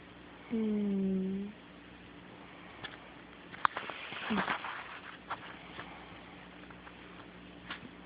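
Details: A sleeping pet cat snores indoors on an Android phone recording: one steady, low, droning tone lasting about a second, then quiet room noise with scattered soft clicks and rustles.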